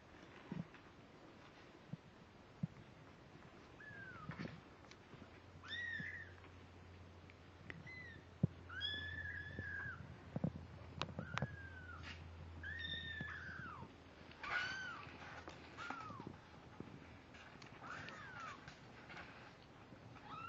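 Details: Seventeen-day-old kittens, born October 31, 2011, crying on November 16, 2011: frequent short, high mews, each bending up then down, overlapping at times, with a low hum midway and scattered clicks and bumps.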